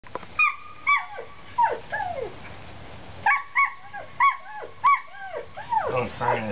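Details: Seven-week-old Collie puppies at outdoor play: high, whining yelps that rise and fall in arching slides, coming in bursts of two or three with short gaps, some overlapping, as a person's voice is heard nearby.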